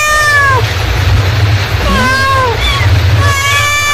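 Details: Mother cat calling her kittens: a meow tailing off at the start, then two more arched, falling meows about a second apart, over a steady low background drone.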